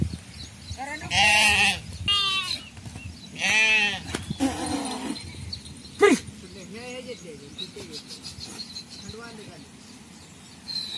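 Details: Domestic sheep kept in traditional Indian sheep farming by shepherds: two loud, quavering, harsh bleats near the start, then softer scattered calls, with human voices and rustling in the background.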